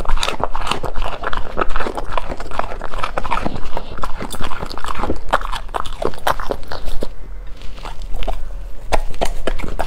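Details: Golden retriever eating indoors, close up: dense crunching and biting clicks in rapid irregular bursts throughout, with strong low rumble beneath and no vocal calls.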